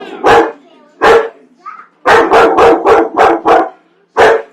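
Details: Pet dog barking at popcorn it hates: sharp, loud barks, two single barks then a rapid run of five in a row, a pause and one final bark, with a faint high whine between.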